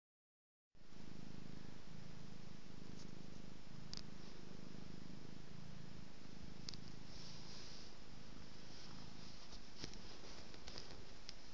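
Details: Domestic cat purring while being petted and rolling about: a low, steady rumble that swells and fades with each breath, roughly once a second, with soft rustling and crackling from a hand stroking fur.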